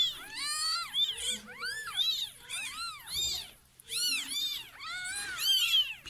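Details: Mews from a cat and her newborn kittens, born after the mother slipped into a neighbour's house, kept in a box lined with clothes indoors; a rapid series of high, arching, harmonic mews repeats about once a second, with a short pause.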